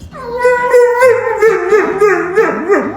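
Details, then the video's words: Pet dog practising its voice indoors while its owner asks questions: a sustained, wavering, harmonic-rich howl that holds a steady pitch, then breaks into short yodelling rises and dips toward the end. "My dog loves to practice his voice"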